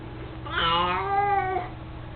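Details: Indoors, Mico, an elderly mostly blind house cat fond of his toy mouse, lets out a single drawn-out meow that starts high and slides downward over about a second, over a faint low hum.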